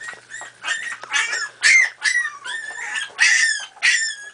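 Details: Miniature Pinscher puppies, four and a half weeks old, playing together; high yips and squeals come in short bursts about twice a second, some notes sliding down, with whimpering between them.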